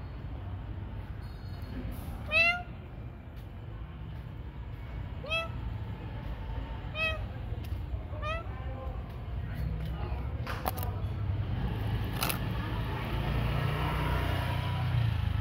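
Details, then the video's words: Cats at night during feeding time, giving a run of short, downward-curving meows about every one to three seconds, then fading out as rustling, clattering and low background rumble take over. "Food night cats"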